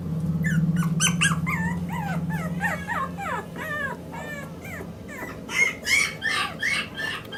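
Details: Male Maltese puppy, born 29 February 2016, at a pet shop in Yokosuka, Kanagawa, Japan. It gives a rapid run of short, high, arching yips and whimpers over about five seconds, followed by louder broadband thumps. A low steady hum sits underneath.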